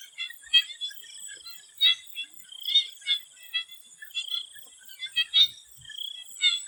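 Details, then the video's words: Frogs in a Thai swamp before sunset trade scattered rattling pulses and a few drawn-out trilled notes, spaced a second or two apart, with a persistent high insect whine behind them. "The Relaxing sound of swamp frogs and nature sound"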